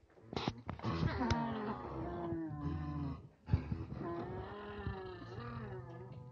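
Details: Farmed nutria after a young but experienced male was put in with eleven females; the male sits by the food and keeps the others away. Low, moaning, harmonic voiced calls come in two long, wavering bouts with brief pauses and faint clicks.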